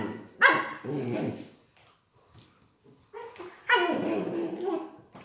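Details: Playful, healthy Collie puppies from litter A, dated 21.01.18: two loud, harmonic, yelping barks about three seconds apart, with quieter rustling and faint sounds between them.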